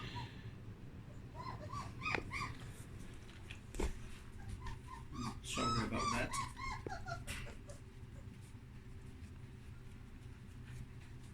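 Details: Puppies exploring a whelping box after its blankets were changed, indoors; soft, high, arched whimpers come in short bursts over a low room hum, with faint human voices in the background.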